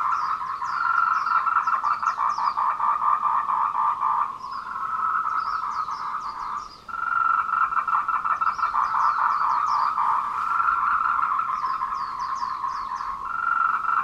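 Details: A dense chorus of tree frogs gives rapid, pulsing rattled courtship calls at 14:00 on 26 April 2018 on the Meiling Wulong trail in Nanxi, Tainan, Taiwan.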